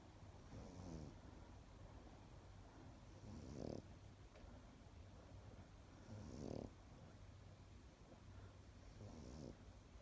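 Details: Sleeping Pekingese dog snoring: low, rattling pulsed snores roughly every three seconds, each swelling briefly and fading, with a soft steady hum in the quiet room between breaths.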